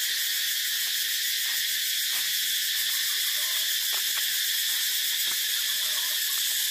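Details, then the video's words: Cicadas calling in a dense, steady, high-pitched electric buzz that never lets up, with faint short clicks and ticks scattered underneath. "Tiếng Ve Sầu kêu hay nhất"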